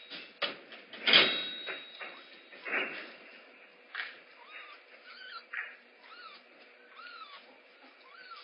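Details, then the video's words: Rehab kittens Mare and Kaye at Big Cat Rescue, each wanting breakfast first. Knocks and clattering open the recording, then short, arched, high mews repeat roughly every second or two through the second half. "Everyone wants breakfast first. Rehab Kittens Mare and Kaye at BCR."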